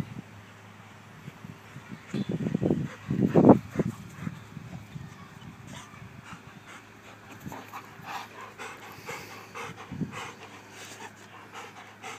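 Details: Old English Sheepdog named Nana Darling, breathing in quick rough pants that bunch into a louder burst near the start, then fade to soft, irregular huffs.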